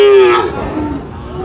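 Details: Sahiwal or Friesian bull calf at a cattle market in Munshiganj, Bangladesh, July 2025: a single short, steady low moo that fades into market noise.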